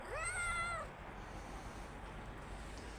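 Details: A pregnant street cat, belly full of kittens, meows after being urged to: one clear, rising-then-level harmonic meow lasting under a second, followed by quiet background hiss.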